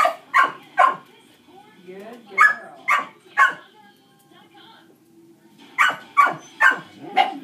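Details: Dogs bark in the background during a shaping training session with Dixie, a dog reactive to other dogs: sharp, harsh barks in quick bursts of two or three, with pauses between. Softly spoken praise and a low murmur sit beneath them.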